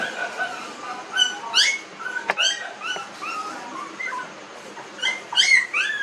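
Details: Nineteen-day-old newborn puppies giving high, thin squeals and whimpers, short tonal cries bending up and down, coming in scattered bursts with quiet gaps between them.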